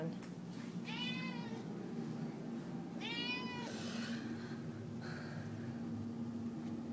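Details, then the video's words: Indoor house cat pleading for chicken while it is cooked: two bright arched meows roughly two seconds apart, then faint softer sounds, over continuous kitchen hum and a woman's voice nearby. "Cat Really Wants Chicken"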